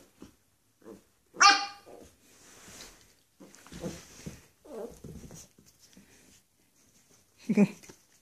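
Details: Dog on its first day with a companion dog, a Xoloitzcuintli and a Bull Terrier; an early high, strained yelp-like bark, then several lower gruff barks and grumbles spread over eight seconds, mixed with a person's voice.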